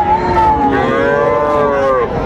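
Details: Friesian and crossbred heifer calves at the Raniganj cattle market, Dinajpur, Bangladesh, 12 July 2024: a long, harmonic, slightly falling moo, overlapped by a second lowing call, with market murmur behind.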